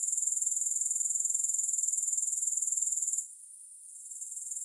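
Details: Fast, sharply pulsed high trill of grasshoppers, no music, running evenly for three seconds before abruptly dropping to a faint, softer buzz that slowly rises again.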